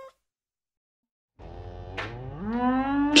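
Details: A cow gives a single long, rising moo that grows louder and ends in a harsh, breathy burst, after a moment of silence.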